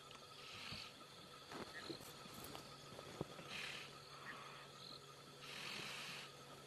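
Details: On an evening safari drive on 24 September 2016, a lioness grips a dying African buffalo's nose, and blood is flowing into its lungs. The buffalo breathes in heavy, rasping gasps that are starting to gurgle as its leg kicks weaken.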